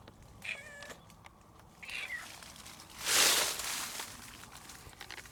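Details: Young calico cat, filmed 2 May 2019 on meeting again after two months. It had been fleeing a black cat and now follows closely, very affectionate, with a wound on its face. Two short, rising-then-falling meows about one and a half seconds apart, then a loud burst of rustling.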